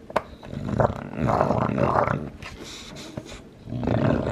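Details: Lilac tri Olde English Bulldogge, a two-year-old male busy with his bone, lets out a sustained low rumbling growl with a gritty texture, a brief lull, then the growl resumes.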